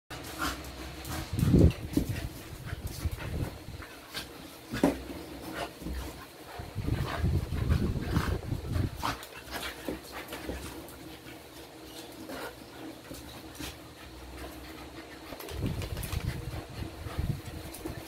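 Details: Two energetic, very playful Belgian Malinois, one of them young, playing together; breathy panting bursts and scuffling thumps come in uneven waves, louder near the start and end, over steady low rumble, with faint speech.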